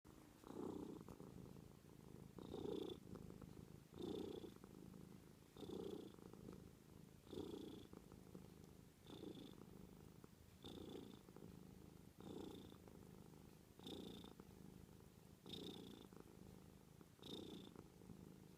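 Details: Domestic cat purring quietly and steadily indoors, the low rumble swelling with each breath roughly every one and a half seconds, a faint higher hum accompanying each inhale.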